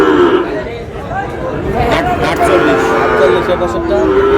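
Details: Sahiwal cattle, bull calves being bought by a farmer from Cox's Bazar, Bangladesh: a sustained, steady moo opens, another long lowing call rises near the end, over constant crowd chatter and voices.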